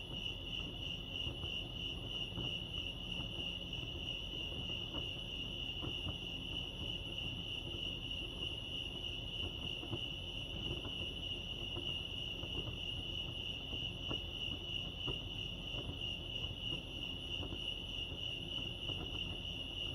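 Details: Crickets chirping at Lake Arrowhead, California: a steady, high, pulsing trill holds one pitch without pause, many insects blending into a continuous ring over faint low background rumble.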